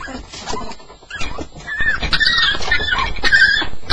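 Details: Staffordshire Bull Terrier, a staffie on its first night, making sounds during a nightmare: soft muffled noises at first, then rising into high, wavering whimpers and squeaks that grow louder toward the end.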